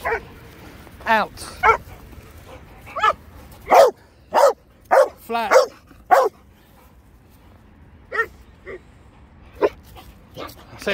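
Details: Dog in a German shepherd and Presa Canario setting with mother and puppies barking repeatedly, bursts of clustered barks then sparser, quieter yips trailing off over about eleven seconds.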